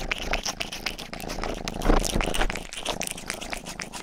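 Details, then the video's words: Indoor pet cat Rang-i, the household's youngest, purring close up as it grooms, a dense low throbbing purr about twice a second, layered with bright wet licking clicks. "ASMR 하는 고양이!(Purring & ear licking sound)"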